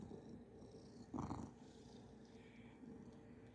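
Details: A relaxed, contented cat purring softly. It makes a low, steady, even rumble throughout, with one brief louder rustling burst early on. The recording is quiet.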